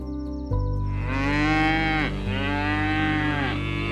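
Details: Cow giving two long, drawn-out moos, each rising then sagging in pitch and lasting over a second, over steady background music.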